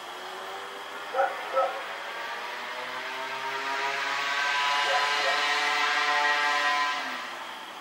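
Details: Rex the dog running around at night, recorded Oct 7, 2018: two quick, distant barks close together near the start, then a vehicle's rising rumble swelling and fading over a steady background hum.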